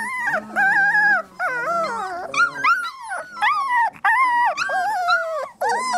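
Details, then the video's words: Several 3-week-old Labrador Retriever puppies whimpering and squealing together, overlapping wavering cries that rise and fall, some sliding downward, in near-continuous bursts with short gaps. "Puppy Cacophony"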